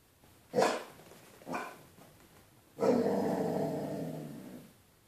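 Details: A Basset Hound barking at his own reflection in a window gives two short, deep barks, then one long, drawn-out baying howl.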